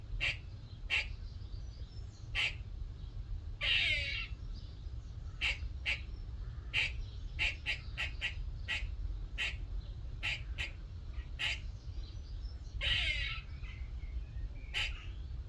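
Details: A small squirrel visiting a workshop one morning gives short, sharp barking chucks at irregular intervals. Two longer, raspy, buzzing calls at about four and thirteen seconds sweep downward at the end. A steady low hum runs underneath.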